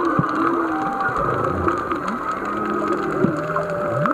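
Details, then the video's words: Several humpback whales singing miles away, heard underwater while snorkelling off Black Rock, Maui: low moaning tones and smooth rising and falling sweeps over a steady underwater hiss. "Humpback whale song while snorkeling off Maui"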